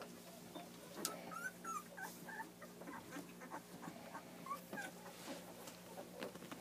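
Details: Two-week-old puppies from a litter of Bree and Zarek, giving soft, brief high whimpers and squeaks in scattered bursts, some short rising and falling whines, over a steady low hum.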